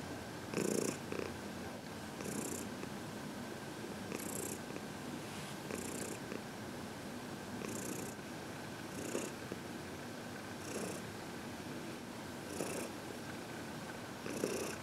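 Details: Elderly female house cat, aged 14 and adopted from a shelter, purrs while receiving a head massage at home; continuous soft rumble broken by airy breath pulses about every two seconds.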